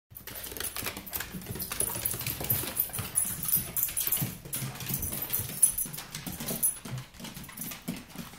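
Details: A male Shih Tzu makes low, grumbling, talkative noises in steady bursts, impatiently anticipating his dinner.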